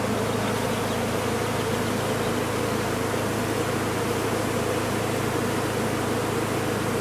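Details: Big colony of honey bees lodged in a condemned chimney during removal; thick continuous humming buzz over a constant low drone, with no breaks or changes in intensity.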